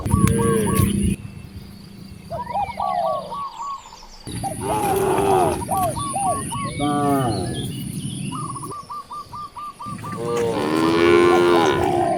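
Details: Hungry cows in a village beside vast rice fields give long, harmonic, rising moos that swell and fade, while small birds chirp quickly and insects whine steadily.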